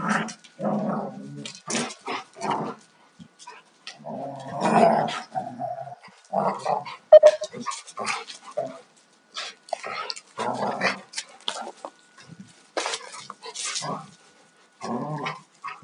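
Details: Alaskan Malamutes, a young male and an older female, rough playing together, giving short broken growls, yips and grunts in quick irregular bursts with gaps of near silence.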